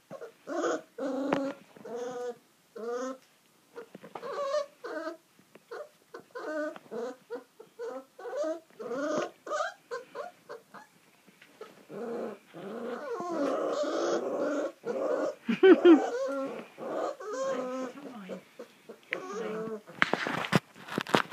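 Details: Four-week-old Kuvasz puppies, a male and two females, on their first time outdoors, 28 February 2015. They give a run of short, high, tonal whines and yelps in quick bursts, which grow rougher and more overlapping later, ending in rustling.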